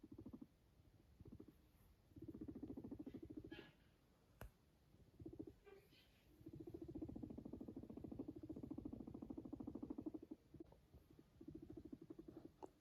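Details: A pet guinea pig, filmed yawning and purring, purrs in low, rapid, vibrating bouts lasting a few seconds each.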